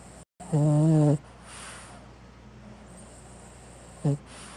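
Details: Sleeping male pet, five years old, paws and nose tip turned pink with sleepiness, gives one loud, droning, buzzy snore lasting under a second, then a short, quieter snort near the end; steady low room hum throughout.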